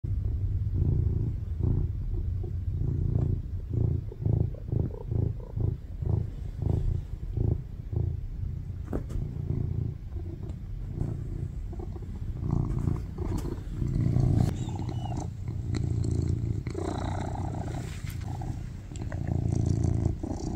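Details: Tuxedo cat named Baby Charlie purring loudly on a lap: steady low rumble with rhythmic pulsing swells, louder in the first half, with faint rustling and a few soft clicks.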